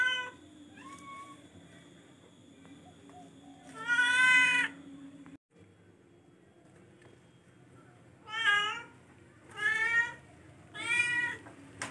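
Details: Meowing from a charcoal F1 domestic cat: one long loud wailing meow near the start, a quiet gap, then three shorter bending meows in quick succession, all over a constant low hum.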